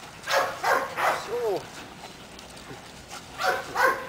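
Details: Obedience training with a seven-month-old Belgian Malinois named Caiman. Three quick barks open the clip, followed by a brief whine-like tone and a pause. Two more barks close it, with a human voice nearby.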